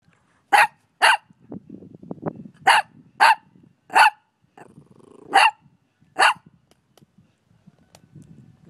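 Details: Five-month-old puppy barking, seven sharp, high yappy barks in short bursts, some in quick pairs, with low grumbling and growly sounds between them.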